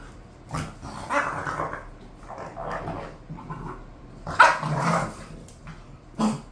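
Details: Bored pet bulldogs Khan and Ali make softer, scattered growling mutters and low grumbles, rising to one louder rough bark-growl burst near the end, with a brief final grunt.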